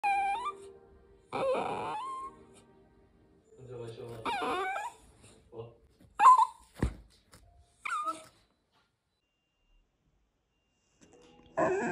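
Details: Poodle puppy begging to be with its owner, giving high, rising and falling whimpers and whines in short bursts separated by pauses, indoors, with a person's voice mixed in.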